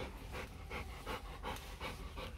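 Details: Four-day-old Rottweiler puppies from the litter of Vietnamese champion Loki Gervi and Faye; soft, breathy panting bursts repeat roughly three times a second over a steady low hum.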